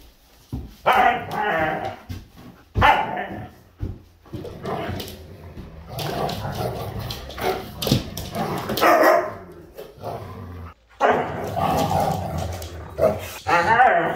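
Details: Husky during aggressive play, giving rough, growly yowling bursts of one to two seconds, each rising and falling, separated by short quiet gaps.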